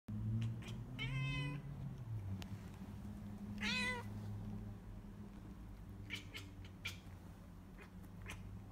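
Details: A Bengal cat, during an attack, gives two drawn-out, harmonic meows that rise and then sag in pitch.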